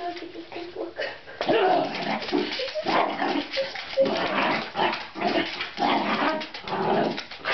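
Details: Miniature Dachshund going after a fat cat that just sits there, indoors: dense, continuous yappy barks, growls and whining noises, nearly unbroken for seven seconds, with a person talking over it.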